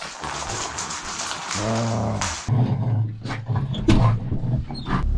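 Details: French Bulldog indoors, spending the day with his owner: low, throaty growling grunts, a short rumbling burst followed by a longer sustained guttural growl, with faint clicks and rustling underneath.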